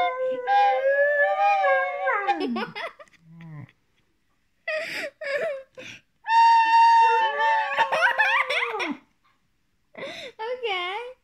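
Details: An 8-month-old Border Collie howls, "singing" in long, wavering, sliding tones along with a recorder's steady note.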